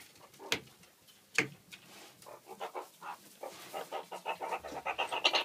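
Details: Snookie, a pet alpha female meerkat known for aggression toward her owner, gives sharp clicking bursts, then a rapid run of pulsed chattering notes that grows louder and quicker toward the end; laughter follows.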